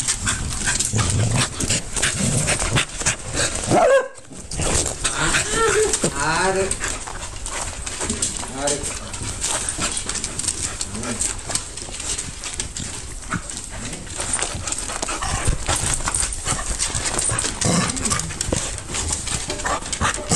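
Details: Cardigan Welsh Corgi recorded on a mobile phone camera. It gives high, wavering whimpers and whines, loudest in the middle. Human speech and handling noise run throughout.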